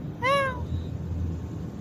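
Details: Cat in a park at night producing a single short, bright meow that arches in pitch, over low traffic rumble.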